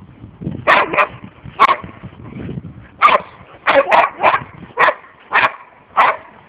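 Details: Boxer dogs at play during a holiday camp, a pack of four including six-year-olds Ange, Kosto and Maggy plus ten-month-old Enzo; loud barks come in quick pairs and singles throughout, with low rumbling sounds early on.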